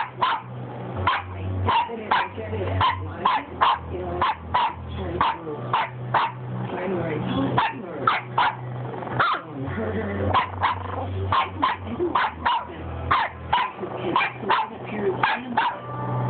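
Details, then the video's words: Boston Terrier puppy named Cj, talking to its owner, gives a long series of short sharp yips, spaced roughly every half second, over a steady low hum and background television voices. "Cj talking to mamma"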